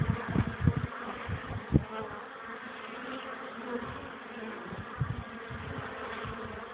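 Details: Honey bees at their hive on a sunny but windy afternoon, 21 April 2013, 12 °C, 1 pm, carrying pollen while cold wind hampers landing. Steady low droning hum of many wings, broken by dull gusts of wind buffeting the microphone.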